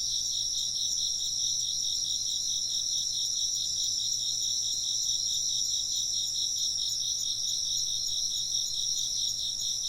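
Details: Insects chirping in a steady, dense chorus of shrill, high trills pulsing rapidly without pause, a bright upper band over a lower pulsing band, with no other clear sounds.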